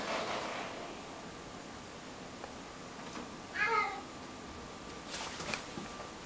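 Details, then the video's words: Female pet cat indoors, freaking out: one short harmonic meow mid-clip against a quiet room, followed later by brief loud rattling bursts. "Joy Freaks Out"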